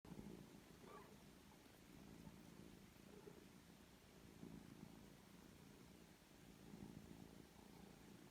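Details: Foster kittens three weeks old with their mother, a grey tabby rescue family kept safe indoors, purring in a low steady rumble that swells and fades in soft pulses throughout.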